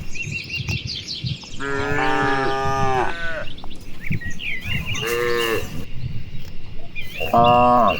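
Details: Afternoon in broad rice paddies where dozens of grazing cows answer one another: a long sustained moo, then two shorter bellows, set against scattered bird chirps and faint field noise.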